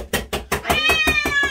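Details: Loud domestic cat meowing over a steady train of soft knocks about five per second, one long wavering wail rising then falling across the second half.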